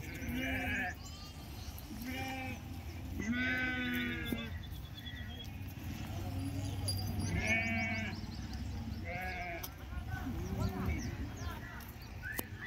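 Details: Sheep at the Pebbair sheep market: several wavering bleats rise over a steady crowd murmur, some long and quavering, spaced a few seconds apart, with a sharp high tone at the end.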